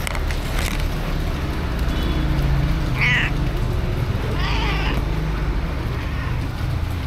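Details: Two stray cats shelter in a cardboard box during heavy rain, recorded on an action camera; two short meows stand out against a steady roar of rain.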